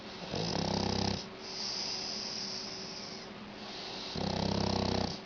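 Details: A Shar Pei dog asleep and snoring: coarse, vibrating snores near the start and end, each about a second long, with breathy airy exhalations between them and a faint steady hum underneath.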